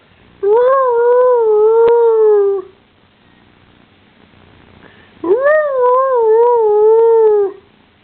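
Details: .Pet dog making weird howling noises: two long, wavering, tonal howls of about two seconds each, separated by a short pause, with a wobbling pitch and rich overtones.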